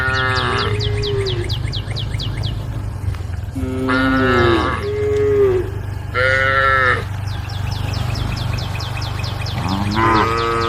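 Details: Group of female cows on a road calling the herd: a low moan, then several loud, bellowing moos of about a second each, some wavering in pitch, over steady low rumble and rapid high-pitched ticking chirps.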